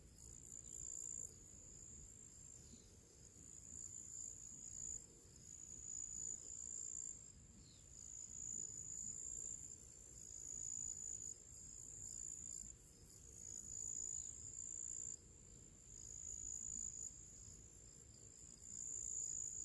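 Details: Crickets and other small creatures sing outdoors on a summer pre-evening: a bright, high ringing trill with fast rhythmic pulses, swelling and fading in waves about every two seconds, with soft low background hiss.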